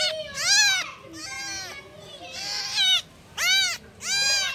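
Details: Kitten meows calling for mom, loud and insistent: five strained, wavering cries, each rising then falling in pitch, roughly one every second with brief pauses between.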